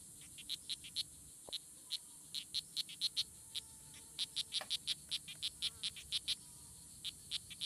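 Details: Strawberry poison dart frogs, Oophaga pumilio, fighting at La Selva Biological Station near Sarapiquí, Costa Rica, June 24, 2016; dense, overlapping series of short high chirps, several per second, over a continuous insect whine.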